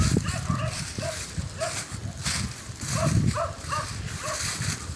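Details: Hunt terrier (Jagdterrier) in Kosovo, barking in short bursts roughly every half second, over strong low wind-like rumble and a droning background.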